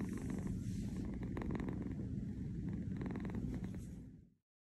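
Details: Kitten on a fuzzy bed, napping in New York, purrs in a rapid, rhythmic low rattle of about four pulses a second, then the sound cuts off to silence.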